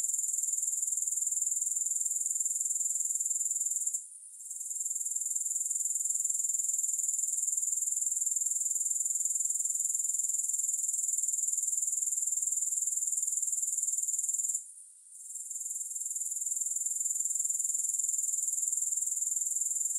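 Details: High, sizzling grasshopper trill running continuously, broken by two short quiet gaps about eleven seconds apart before resuming at the same steady level.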